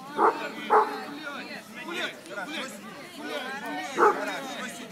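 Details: Young American Pit Bull Terrier, a black male six and a half months old, in Russia during sit-command and impulse-control training, gives three sharp barks amid a person's continuous speech.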